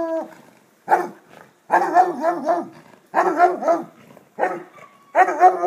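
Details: Basset hound baying in loud, drawn-out, wavering howls, each burst lasting about a second with rich layered overtones, separated by short silent gaps, with one brief yelp early on.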